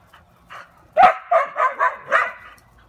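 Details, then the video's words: Quick, high-pitched, yappy barks from Taco Gary the dog: one soft bark, then five loud barks packed into under two seconds. "Taco Gary Barking"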